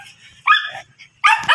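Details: Miniature Dachshund offered for stud service at Guesang, Mangaldan: two short, bright harmonic barks about 0.8 seconds apart, the first slightly drawn out and the second a sharper yelp, with soft low background noise.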